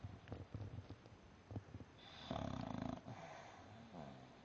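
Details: Napping English Bulldog lying upside down: a run of short snuffling breaths, then one loud rattling, buzzy snore, followed by softer wheezy breathing.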